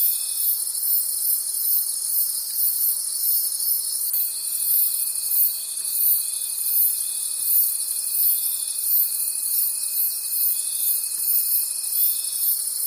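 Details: Night forest crickets in full chorus: high, shimmering trills pulse about three times a second without pause, joined by a long steady whistle-like tone that drops out briefly early on.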